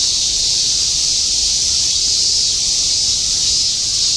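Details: Cicadas massed in a steady chorus in Shinjuku, Tokyo, summer 2016, a constant high sizzling drone with no pauses, over a soft low city hum.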